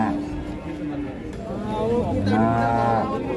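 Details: Limousin cattle lowing: a drawn-out, harmonic-rich moo that holds low and steady, then swells brighter and rises slightly near the end, over a constant background hum.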